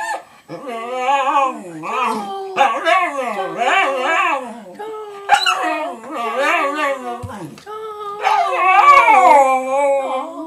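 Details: Pet dog howling in long wavering tones that rise and fall, several drawn-out howls with brief pauses between them over about ten seconds, with a person's voice nearby.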